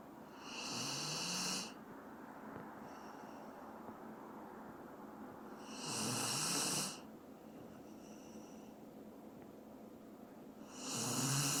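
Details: Sleeping Dobermann called Doran snores steadily, each breathy rasping snore lasting about a second and recurring roughly every five seconds, with softer quiet breaths between; nothing else heard.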